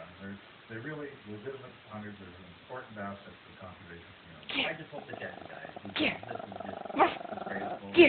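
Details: Pet dog, male, freaking out and barking at an old doll head because he hates people he does not know; after several seconds of human talk, sharp harsh barks burst out roughly once a second toward the end.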